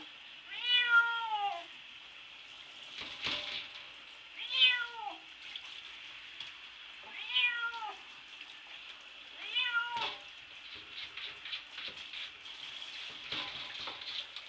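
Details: Bubby, a domestic cat put in the bath, meows while scratching at the shower door, wanting out: four loud falling meows spaced about three seconds apart, with running shower water hissing and scratching clicks between them.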